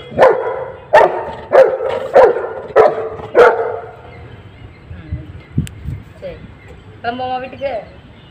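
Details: Dhiya, the Saint Bernard puppy, fighting for her food by diverting Fluffy, a newcomer dog; six loud barks roughly every half second, then a lull with faint low sounds and a short whine.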